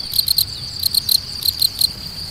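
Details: A field cricket sings clear, shrill chirps in groups of three, repeated about every half second, from its burrow entrance in spring grassland with flowering grasses, made by rubbing its wing covers together.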